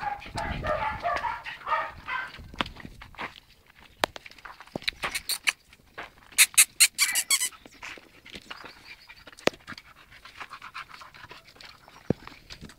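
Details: Playing Patterdale Terrier and Jack Terrier puppies: a burst of high, whining squeals at the start, then scattered clicks, scuffles and taps with occasional faint whimpers.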